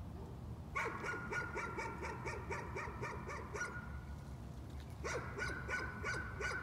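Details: Nuisance barking by a dog: a quick run of about a dozen repeated sharp barks lasting three seconds, a short break, then another fast volley, all over a faint low hum.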